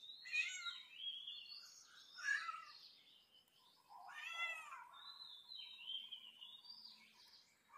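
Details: Cat, from a funny cat compilation, giving a string of high, thin, wavering mews, several rising then falling, close together over a few seconds, with a faint steady tone in the background.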